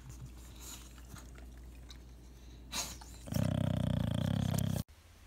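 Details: English bulldog (Canis familiaris) snoring while sleeping: a quiet, low hum, then a loud, rattling, buzzy rumble.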